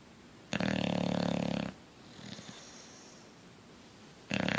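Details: A dozing bulldog called Coach lets out a long raspy snore, then a quiet breathy stretch with faint snuffles before the next rattling snore starts.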